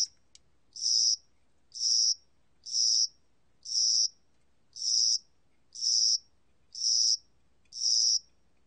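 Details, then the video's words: Spring-summer cricket recorded by Korea's National Institute of Biological Resources in 2020: short, high, buzzy trilled chirps about half a second long, repeated steadily about once per second against a quiet background. "봄여름귀뚜라미, 여러번 듣기, 곤충소리"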